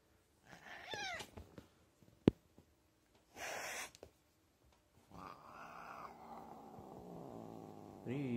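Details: Fat domestic cat, angry during a massage and refusing to be stroked, indoors: a short wavering yowl, a sharp click and a brief noisy burst, then a long, steady low growl with a drawn-out, moaning tone.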